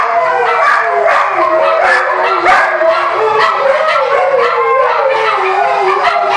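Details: Siberian Huskies, a pack singing along as the song Carry On Wayward Son plays; continuous wavering howls layered over the loud rock music throughout.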